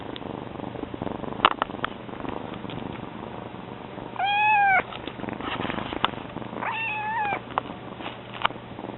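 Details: Two drawn-out, slightly arching meows about two seconds apart come from Mame, a kitten that has only just joined the household, with faint shuffling and a low background hum between them.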